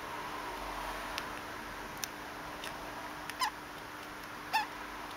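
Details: Conan, a pet degu, hiccuping: sparse, sharp little ticks, some carrying a brief squeaky chirp, spaced about a second apart over a steady background hum.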